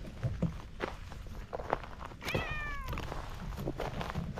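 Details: Orange tabby cat by a pond, pleased at being petted, gives one clear drawn-out meow that falls slightly in pitch, amid low rumbling wind and handling noise.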